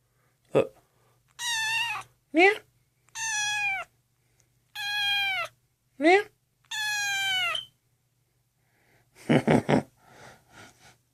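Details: Lost, abandoned kitten rescued from a street, malnourished and dehydrated with infected eyes, meeting another household cat up close for the first time indoors; seven meows mixing drawn-out falling calls and brief upslurred squeaks, then human voices and handling noise.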